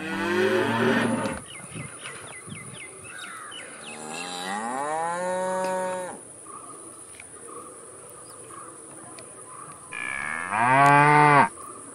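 A cow gives several deep, drawn-out moos, with insects buzzing faintly in the background.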